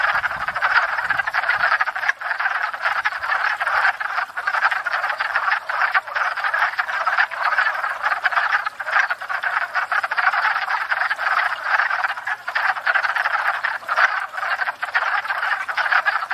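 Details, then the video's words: Wood frogs in a dense spring breeding chorus at a backyard pond, gathered after thawing to court and breed; overlapping clucking, duck-like croaks blur into a continuous rattling racket with no pause throughout. "Wood Frogs"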